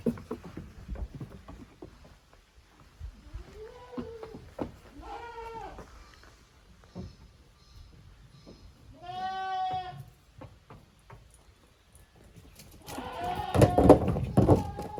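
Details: Young goats from two family groups, Koharu's and Okayu's kids, at play in a farm exercise ground in June 2023: several short rising bleats and one longer quavering cry, with scuffling, knocks and a burst of noisy clatter near the end.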